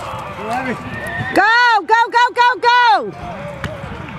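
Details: Horse at a stock horse sale and ranch horse competition in Newcastle, Wyoming, in June; a loud whinny of about one and a half seconds in four or five quavering pulses stands out over background voices and arena noise.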